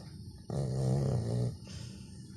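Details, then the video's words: Labrador Retriever snoring, one deep vibrating rattly breath lasting about one second, low and buzzing, followed by a softer exhale. "Лабрадор храпит."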